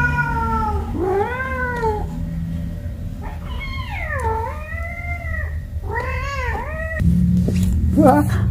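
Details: Kittens playing in baskets with an adult cat: a series of four loud, drawn-out meows, each arching up then sliding down, spaced a second or two apart, then a short squeak near the end over low rumble.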